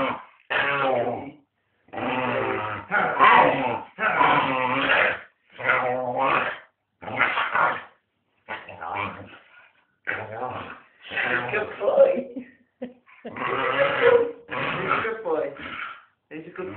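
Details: Pet dog playfully trying to bite its owner, who insists he loves them really; drawn-out growling and whiny vocal bursts, each about half a second to a second long, broken by short pauses, with occasional human voice.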